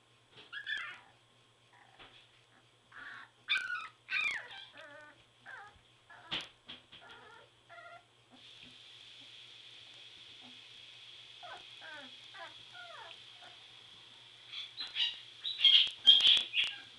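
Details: Whelping-box chorus of three-week-old Border Collie pups: thin whimpers and short yips early on, a steady hiss through the middle, then a burst of louder shrill squeals near the end.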